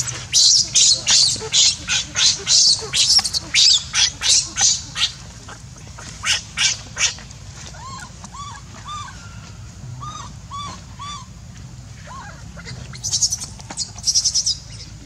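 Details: Hungry baby monkey Leo crying and begging its mother for milk: a fast run of harsh, noisy screeches about twice a second, then short arched whining coos, and a final burst of shrill screeches.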